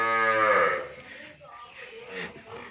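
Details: Nili-Ravi buffalo for sale in Pakistan, recorded 5 February 2022, gives a strong harmonic moo that falls away after a second, followed by quieter Punjabi talk and faint lowing.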